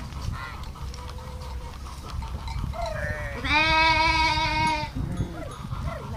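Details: Sheep bleating: faint brief calls early on, then one loud, strong, wavering bleat lasting over a second, followed by softer short calls against a constant low murmur.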